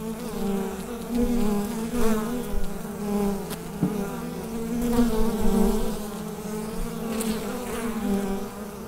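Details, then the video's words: Massed bees humming in their hive, recorded on a USB microphone: a steady, throbbing drone that pulses in loudness, broken by a brief knock near the middle. "Bee Hive Sound Effect"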